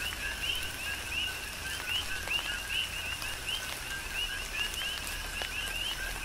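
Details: Tropical rain on the Big Island of Hawaii with a steady chorus of coqui frogs: quick two-note chirps leaping upward in pitch, repeated by overlapping callers, over soft rain patter and occasional drop taps.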